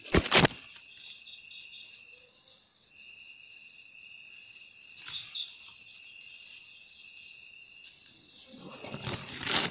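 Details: Cricket calling, a sound used to drive away rats indoors: an unbroken shrill, high ringing trill on two pitches, with loud rustling handling noise at the start and end and a soft knock midway.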